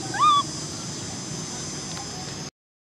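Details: Baby macaque Cola, an orphan, crying because she wants to ride a bike: one loud, short tonal wail that rises and then levels off, with clear harmonics, followed by steady background hiss.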